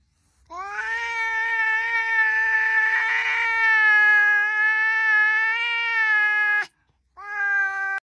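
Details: Kitten meowing indoors: one long drawn-out tonal meow lasting about six seconds, slightly rising then steady with rich harmonics, followed after a short pause by the start of a second meow.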